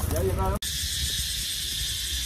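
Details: Cicadas in a park in Bangkok, Thailand, keep up a steady, shrill, high-pitched buzz after a few words of speech.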